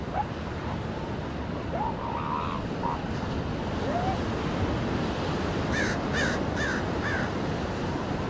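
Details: Several seal pups on a beach call in turn: short rising, bleating notes at first, later a run of four louder, higher harmonic cries, all above constant crashing surf.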